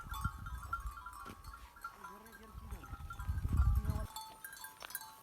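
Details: Wild mountain sheep and goats in the Koh-e-Suleman range of DG Khan, Pakistan; one trembling, quavering bleat midway, surrounded by low rumbling noise and a steady humming tone.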